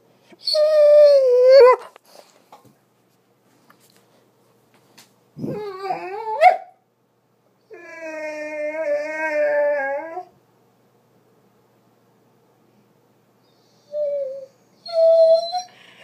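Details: Doberman named Roxie, upset and vocal because her owner had to work and could not scratch her all day; long tonal whines and howl-like moans with wavering pitch, in several bouts separated by silences, indoors.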